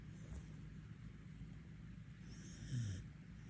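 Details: A Border Collie in Korea snores while asleep with its eyes open. A low, steady rumbling snore runs through the clip with little else heard, and a faint higher hiss rises briefly near the end.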